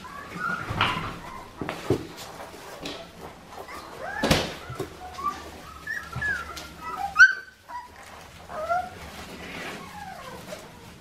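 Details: Australian Shepherd puppies from Clementine's litter on an Oklahoma farm, ready for air travel. Scattered thin, high squeals and whimpers, some bending downward, rise above a quiet room with a few soft knocks and thumps.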